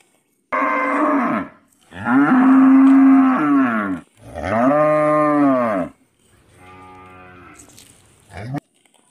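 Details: Cow in a village mooing three times in a row, full-throated and harmonic, followed by a quieter, fainter moo and a short final burst.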